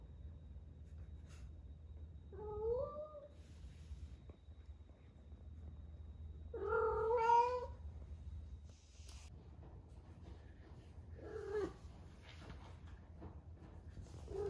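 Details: Female cat Ame, rescued in Osaka and now 11 months old, in peak heat for the first time: three separate wailing meows spread over fourteen seconds, the middle one longest and loudest, with soft rustling between them.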